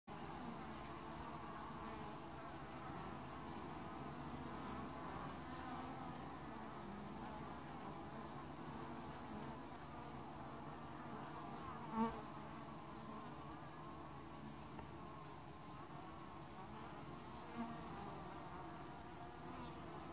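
Honey bees make a steady, low droning hum with a warm buzzing tone that barely changes.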